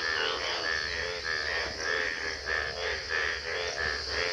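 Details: Frogs at Gobari, Pratapgarh, croak in a steady series of rattling, trilled bursts, about one every half second; frog.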